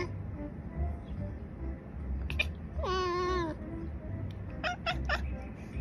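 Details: One of two cats conversing gives a single long meow that bends up then slides down, with scattered soft clicks and taps before and after against a low background hum.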